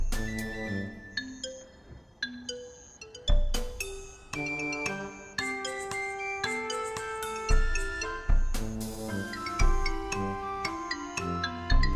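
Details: Bright mallet-percussion music with chiming, glockenspiel-like notes plays throughout, with no animal voice.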